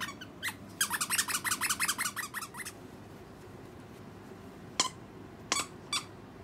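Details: A pet otter playing with a dog's stuffed toy gives a rapid series of about a dozen high, sharp chirps over two seconds, then after a pause three separate, isolated squeaky chirps against low indoor hum.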